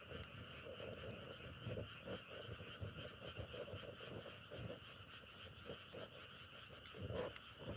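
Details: Chorus of frogs in nature, compared to the sound of burning firewood: continuous high trilling drone over pulsing lower croaks, with frequent crackling clicks and a louder burst near the end.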